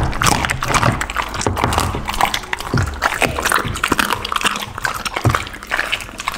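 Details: Pit bull eating a lunch of raw chicken, duck and cauliflower. Dense wet crunching and tearing with sharp bite clicks, steady and close, almost without pause.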